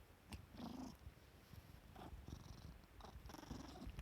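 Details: Pet cat Ajiko, waking from sleep with just its tail poking out, gives a rumbling purr in a small quiet room. Throaty low pulses come in bursts, with a brief higher vocal murmur near the start.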